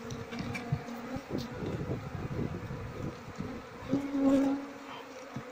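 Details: Buzzing of a queenless Asian honey bee colony, Apis cerana, whose honeycomb is full of honey and shows no larvae. A dense continuous hum with scattered taps swells briefly louder toward the end.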